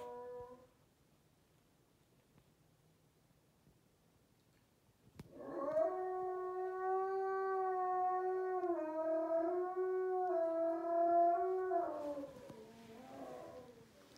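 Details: Dreaming wolfdog at midnight giving a sustained sleep howl indoors: after quiet, a steady tonal howl of about six seconds with slight pitch wavers, ending in a rougher falling note.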